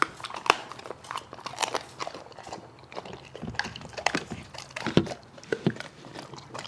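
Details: Dog munching food, with steady uneven bites and crunchy chewing, some deeper thuds among the sharp clicks, and short pauses between mouthfuls.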